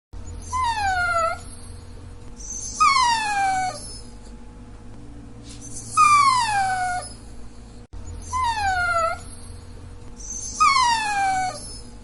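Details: Repeated Dachshund whining, four sliding high-to-low cries roughly a second each, coming at a regular pace of one every two and a half seconds, backed by faint steady hum.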